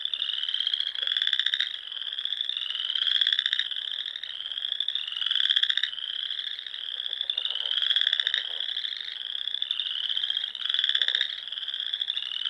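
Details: Nebraska Sandhills frogs singing on a spring evening: a thick chorus of high pulsed trills, loud bursts rising slightly in pitch and recurring roughly every one and a half seconds over a continuous background of more callers.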